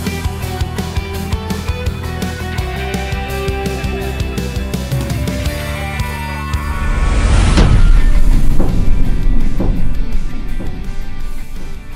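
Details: Loud music with thumping bass and dense layered tones plays throughout, building to a sweeping surge partway through. No animal call can be picked out beneath it.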